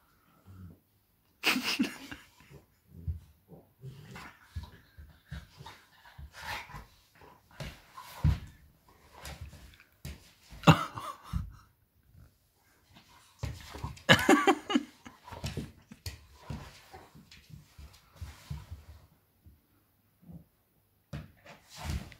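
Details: Playful tussle between Lily, a Bernese mountain dog aged three, and Sweety, a nine-month-old Cavalier King Charles Spaniel: irregular low grumbling growls, panting huffs and short whimpers, with two louder flurries of snarling around the middle.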